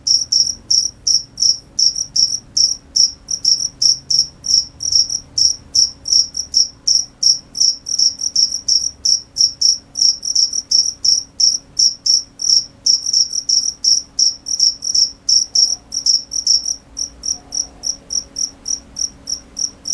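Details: Cricket calling continuously for twenty seconds: rapid, shrill chirps about three per second, bright and pulsed, with brief shifts in tempo and a slightly fainter stretch near the end; low background hum.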